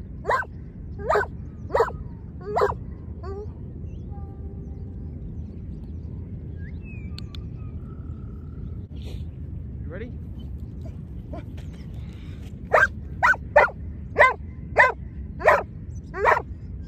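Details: Barking from a Giant Schnauzer at lure training with two dogs present: a burst of four quick barks, a long quieter gap with faint voices and rustling, then a second run of about seven spaced, loud barks.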